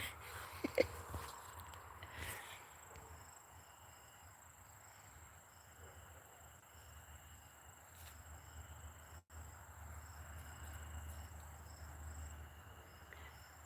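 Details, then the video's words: Night insects keep up a thin, high, steady ringing with soft pulsed chirps over a low outdoor rumble. "Can y'all hear the insects?"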